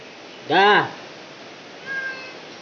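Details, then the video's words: Village cat in labour giving birth, one loud arched meow followed by a fainter, flatter mewing call, with quiet room hiss between. "Kucing Melahirkan"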